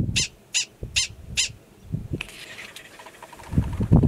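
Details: Wild yearling male Gunnison's prairie dog in New Mexico's Valles Caldera grasslands, April, giving an alarm: four sharp, high, nasal barks spaced under half a second apart, followed by wind and rustling.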